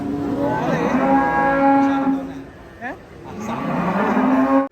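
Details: Cattle raging while being unloaded from a truck: two long, low, droning moos with steady pitch and rich harmonics, separated by a quieter pause with a brief short sound in between; faint people talking nearby.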